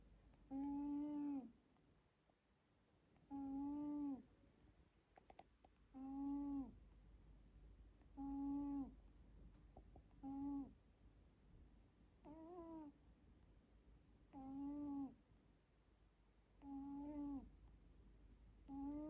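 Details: Eight tonal snoring breaths from a sleeping middle-aged household cat, one of four cats kept together indoors; each nasal whistle lasts under a second and returns roughly every two and a half seconds, steady and rhythmic.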